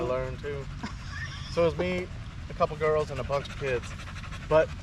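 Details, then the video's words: Male Staffordshire Bull Terriers together at a park in the evening give short, wavering, whine-like vocal bursts, some rising and falling, separated by brief pauses, over a low steady rumble. "Long evening at the park male wolf pack chat"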